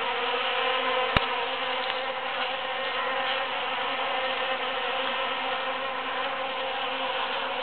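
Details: Foraging bees moving among big cactus blossoms following the June 22, 2013 Super-Full Moon; a constant layered buzzing hum, broken once by a sharp click early on.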